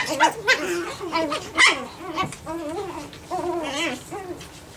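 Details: Nine-week-old Japanese Chin puppies playing indoors, giving wavering, whiny growls and yips that rise and fall in short bursts, overlapping one another almost continuously.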